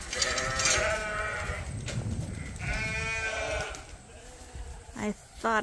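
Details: Sheep bleating at Ewetopia Farms, a Suffolk and Poll Dorset flock: two wavering, harmonic bleats, one near the start and one around three seconds, with a person talking between and after them.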